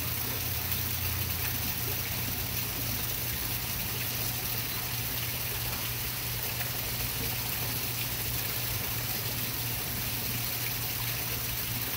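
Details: Only steady rushing water and a pump-like hum are heard, with no animal voice.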